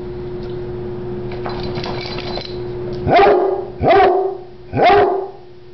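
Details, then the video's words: A short dog barks three times, one loud sharp bark roughly every second, after a stretch of soft rustling over a steady background hum. "Im Short and Love to Bark"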